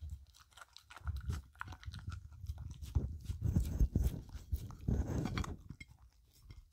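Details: Filou the dog licking and eating a cucumber snack, making a mess, in a no-talking ASMR recording: dense wet crunching and chewing, low-pitched and irregular, building in bursts through the middle before easing off.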